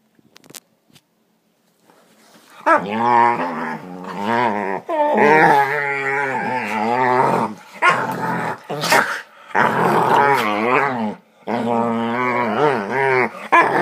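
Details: Pet dogs play fighting indoors, making funny noises: long wavering, whiny growls with yodel-like pitch bends, in bursts of one to three seconds separated by brief pauses and scuffling.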